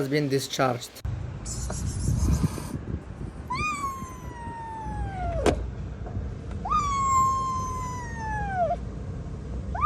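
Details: Kitten found freezing in the snow after two days at -11°C, abandoned and then rescued, calls with two long, loud, wavering meows that slide slowly downward. Brief speech and handling noises come first over a low hum.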